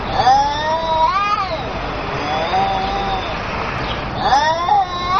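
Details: Angry cats yowling; drawn-out wavering wails that bend up and down in pitch, a steady moaning tone in the middle, then a louder rising howl near the end.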